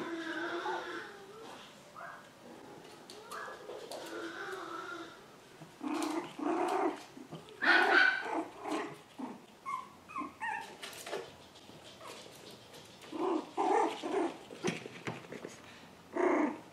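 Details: Seven-week-old poodle puppies at play indoors; squeaky yips, short whines and rough little growls come in bursts, with gaps of quieter scuffling between louder playful outbursts.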